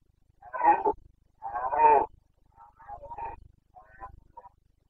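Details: Carpathian red deer stag in the Bucovina mountains during the breeding season, 29 September 2022, giving boncănit rut roars: four hoarse, harmonic bellows, the first two loud and drawn out, the last two shorter and fainter.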